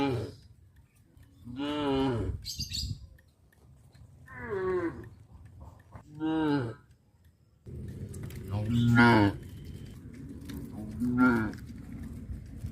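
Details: Cows being herded back to their pen through a fish pond area low out a series of drawn-out, harmonic moos, some rising then falling, spaced a few seconds apart, with a steady background hiss rising in the second half.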